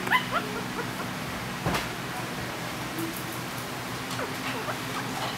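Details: Maltese–Shih Tzu puppies in the Philippines, taking their first steps, let out a short, high, squeaky whimper right at the start, then softer faint squeaks later over a steady indoor hum and a thud.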